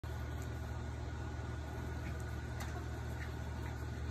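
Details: A steady low mechanical hum like an idling engine fills the recording, with a few faint high clicks and no animal calls.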